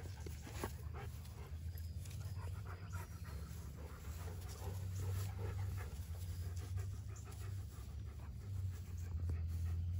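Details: Dog panting as Erie, a Great Pyrenees/Border Collie mix staying for a week, meets Hannah, a yellow Labrador Retriever: fast, breathy, rhythmic pants, roughly three or four per second, over a steady low rumble.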